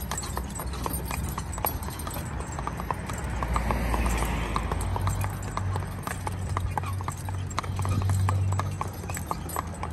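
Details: Mother-and-son draft/Haflinger cross team, both 14 hands, trotting in harness: quieter, crisp hoof knocks in a fast irregular patter against a low steady hum and faint background noise.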